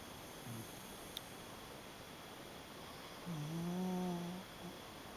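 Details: Sleeping Shiba Inu snoring indoors: one drawn-out, low, slightly wavering tonal snore lasting about a second, preceded by a faint soft snuffle, over a steady background hum.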